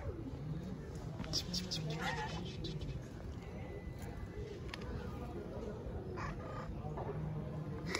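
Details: Stray tabby cat living on the street in Istanbul, wanting love and food, gives several short, rising meows and a drawn-out plaintive cry, over steady low street rumble with a person talking softly nearby.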